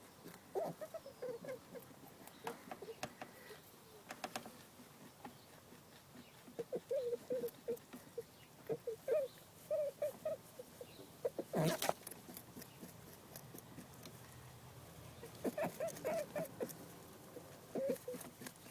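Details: Female domestic rabbit, one of two sisters, squeaking in distress and anxiety at being persistently mounted by her dominant sooty fawn sister; brief soft mid-pitched squeaks come in short clustered bursts through the recording, with scattered clicks and taps between.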